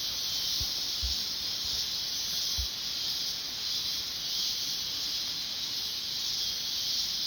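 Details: Chorus of cicadas in the mountains, a loud, even, high-pitched sizzling buzz sustained without break, with a few faint low knocks in the background.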